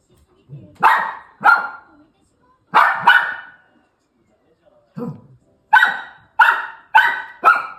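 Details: Young female toy poodle, two years old, giving loud, sharp barks in pairs and short bursts, with pauses between groups and a closing run of four quick yaps.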